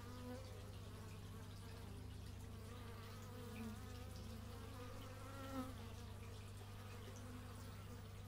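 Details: Bees recorded outdoors in stereo with an x/y microphone: several wavering, droning buzz tones drift up and down as insects fly past, over a steady low hum.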